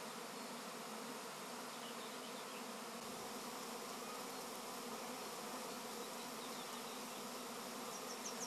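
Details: Honey bee swarm humming without a break, a thick drone with rich overtones that holds an even level, with faint high chirps near the end.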